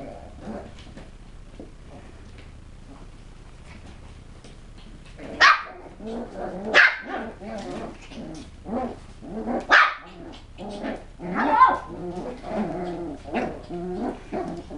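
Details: West Highland White Terrier puppies giving sharp, high yapping barks in three spaced bursts, later mixed with softer voiced sounds and talking in the background.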